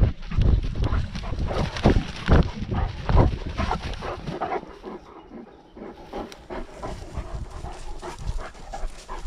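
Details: Panting from Great Danes out walking during lockdown, recorded on a GoPro dogcam: quick, regular breathy huffs, strongest in the first half, fading into softer breaths and movement noise.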